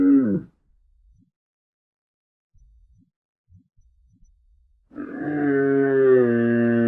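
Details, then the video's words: A short camel groan opens, followed by a quiet stretch with a few faint low thuds. Then a loud, sustained bellow begins and holds its deep, buzzing pitch to the end. "CAMEL SOUND"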